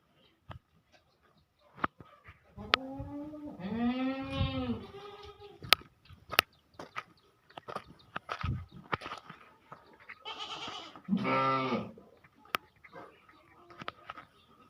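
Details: Goats on a dairy farm bleat in two quavering calls: the first long and wavering, lasting about two seconds, the second shorter, about six seconds later. Sharp clicking knocks are scattered throughout.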